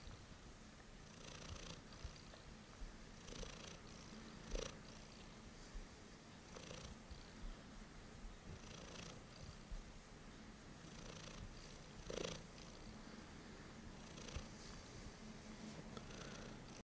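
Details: A cat purrs late at night, its deep even rumble unbroken, with a gentle airy rush about every two seconds and occasional small clicks in a calm indoor setting.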